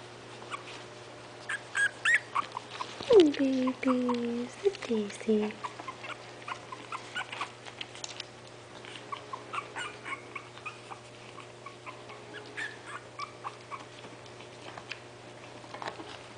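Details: Five 20-day-old puppies, Itsy Bitsy's litter, poke around waiting for their mother to feed them; a run of high whimpers and yips, with one long descending whine near the start and rapid soft squeaks through the rest.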